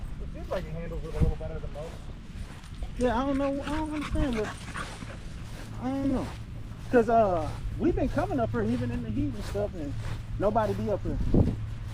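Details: Several male Staffordshire Bull Terriers in a park during the evening vocalizing together: drawn-out, wobbling whine-howls in separate bouts of one to two seconds, over a steady low background hum.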